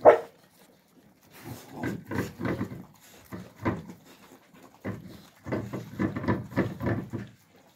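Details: Young Alabai puppies in winter giving short, low, gruff barks: a loud opening yelp, a cluster of three, a lone bark, then a quick run of about six barks near the end, with soft panting between them.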